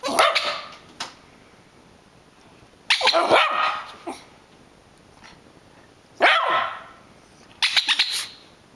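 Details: Rat Terrier named Catfish barking while rolling and playing, unsettled by a squeaker toy being squeezed; sharp, noisy barks in short clusters near the start, around three seconds, six seconds and eight seconds, with quiet gaps between.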